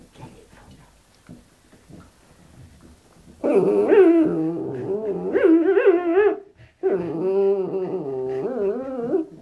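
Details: Pet dog whining in a drawn-out, warbling run of wavering tones that rises and falls like a revving motorbike, starting after about three seconds of quiet background with music and voices, then a short break and a second long whine.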